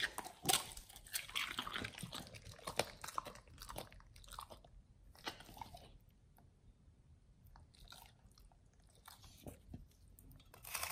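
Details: Pit Bulls on a raw BARF diet crunching through beef chunk, quail egg and duck wing; sharp cracking bites and moist chewing, busiest early, then sparser crunches with short lulls.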